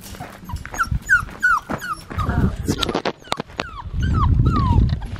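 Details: Blue merle male Australian Shepherd puppy whimpering indoors, a run of short falling whines repeated quickly while being handled, with a woman's soft voice and low rustling noise beneath.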